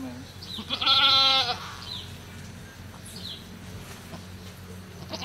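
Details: Goat giving birth at a cow farm, a newborn kid just delivered: one strong, quavering bleat lasting about half a second, then quiet farm ambience.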